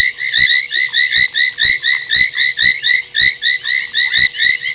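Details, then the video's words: Foam nest tree frogs calling at night, 23:46 on 30 January 2021, at Gowrie dam waterhole, Djuma Game Reserve, Sabi Sand, South Africa; dense chorus of rapid, squeaky croaks in two bright bands, about two per second, with sharp clicks between. "Foam Nest Tree Frog"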